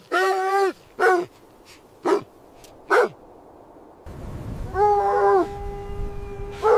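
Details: Puppies playing with their mother dog on fresh snowy ground in winter; drawn-out, tonal whining cries alternate with short yelps, several separate calls with pauses between them.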